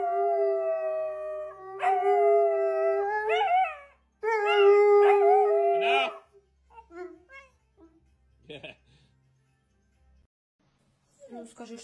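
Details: Siberian Husky giving steady, level howls with yelping breaks for about six seconds, then scattered short whines and a person's voice toward the end.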